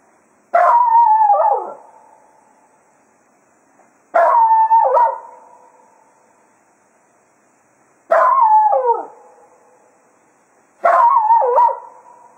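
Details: Jack Russell Terrier Cato serenades the hounds after foxhunting at Quail Roost. Four quavering howls, each with a sliding, bending pitch, are spaced about four seconds apart with quiet gaps between.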